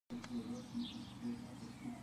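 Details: Buff-tailed bumblebee (Bombus terrestris) from a colony poisoned by pesticides drifting from a nearby rapeseed field, giving a low, droning buzz in short broken bursts, with faint bird chirps above.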